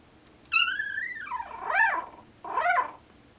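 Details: Newborn Norwegian Elkhound puppies whimper while dreaming indoors. One long high whine slides downward, then two shorter arched whimpers rise and fall, with a faint hiss of room noise behind them.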